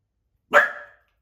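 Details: Rescued Chihuahua mix during a training session in Santa Monica barks at a light knock at the door: a single sharp, short bark that fades within half a second, in otherwise quiet surroundings.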